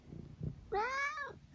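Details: Eric, a senior tabby cat from England, gives a single clear meow of about half a second. Its smooth, harmonic tone rises slightly and then falls away, after a few soft low thumps, in a small indoor room.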